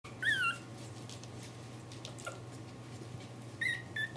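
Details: Pomeranian puppies aged 28 days giving a few thin, high, whistled squeaks that slide downward, at the start and end, over a steady low hum indoors.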